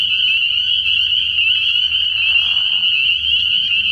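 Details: Many spring peepers call together from a pond on an early-spring night, their shrill, high, tightly overlapping peeps forming a constant bright whine. A soft hissy patch appears near the middle.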